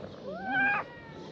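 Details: Ginger stray cat that stayed by the car, said to be hungry, gives one drawn-out meow rising then holding steady for about half a second, with faint background noise.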